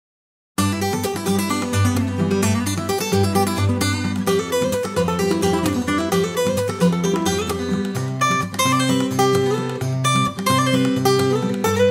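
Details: Lively plucked acoustic guitar music fills the whole stretch, with no animal sound.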